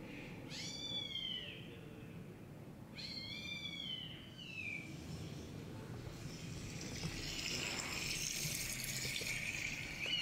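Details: Kitten meows played from a laptop while a Siamese-tabby kitten named Chai searches around it for the caller. Two high, arching meows that slide downward, about two seconds apart, then a soft hiss and room rustle.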